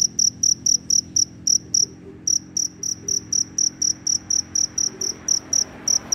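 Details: ['Cricket chirping very loudly after rain, roaming in search of a mate: bright, high, even pulses repeated about four times a second, with a brief pause near the two-second mark, over a faint low background hum.']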